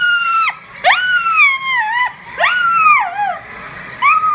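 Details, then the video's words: Dog howling in response to sirens: long wavering howls that swoop up and then slide down, several drawn-out notes with short pauses, a faint high steady tone in the background. "Dog Howling at Sirens"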